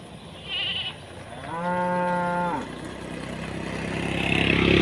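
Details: Tame cows calling one another to eat while grazing in village rice fields under open sky; a single drawn-out, steady harmonic moo lasting about a second, with faint rustling and distant background noise.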